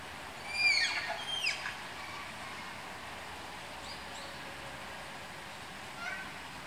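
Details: Malayan tapir during pairing in the tapir house at Tama Zoological Park: two bright, high squeals sweeping downward in quick succession, then quieter distant squeaks later, with faint hum beneath.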